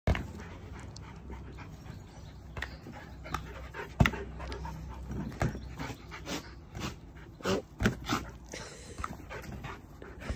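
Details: Border Collie dog playing swingball, panting steadily throughout with soft low breathy rhythm, punctuated by sharp clicks and knocks of the swingball being hit.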